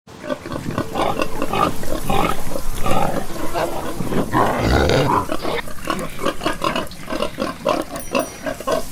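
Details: Pigs on a farm grunting and snorting in a dense, busy stream of short low bursts, several animals overlapping with one louder rough grunt near the middle and a faint high tone late in the recording.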